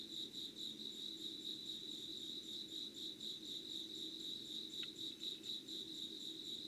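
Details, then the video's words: Insects singing at 05:00 on 25 August 2019: a bright, fast-pulsing high trill continues without pause, one brief sharp click near the end, with a low steady hum beneath. "Sounds of insects with candle light.☆ろうそくの灯りと虫の声"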